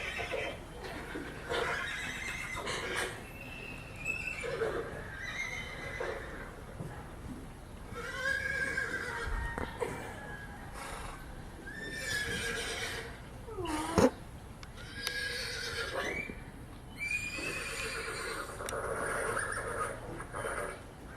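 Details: Horses reacting with interest to a horse alarm ringtone: a long run of repeated whinnies, arched and falling in pitch, several overlapping, some sharp and high, with faint hoof clops and occasional human voices.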